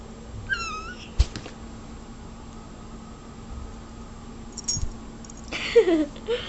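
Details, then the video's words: A cat lets out one short, high, wavering meow at the outset; later come thumps and a scraping clatter of movement over a low background hum. "Cat Meows Nonstop"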